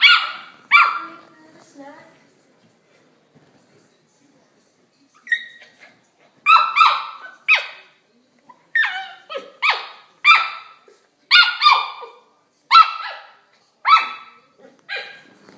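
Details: A corgi puppy playing with a Kong toy gives shrill, squeaky yips and short barks close together, then after a few seconds' pause a faster run of whiny barks, nearly one per second.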